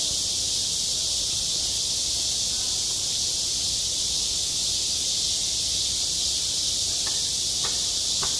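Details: Summer cicada chorus over a school playground, recorded on site: continuous shrill, hissing drone without pauses, a few soft clicks near the end against a quiet low background.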